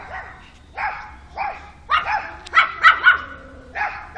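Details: Alfa the pug barking in short, bright yaps, single at first, then a quick cluster of three or four, spaced about half a second apart.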